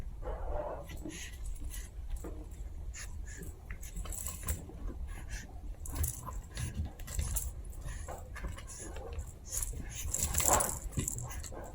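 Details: Two Chihuahua puppies at playtime, giving scattered soft whimpers and short squeaky yips amid rustling, scuffling and clicking noises from their tumbling, with a low indoor rumble throughout.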